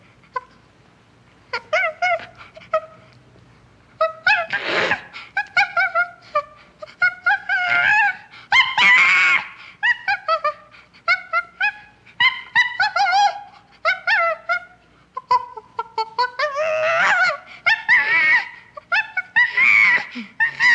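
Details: Common chimpanzee in a long, excited run of rapid hoots and shrill screams, the calls rising and falling and crowding closely together, with several harsh, broadband shrieks breaking through; no other clear sounds.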